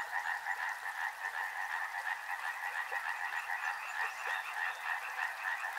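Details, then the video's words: Massed frogs at a river produce a steady, throbbing croak chorus, rapid repeated pulses blending into a constant two-toned buzz for the whole stretch. "Frog Sounds | Soothing sounds of river and frogs"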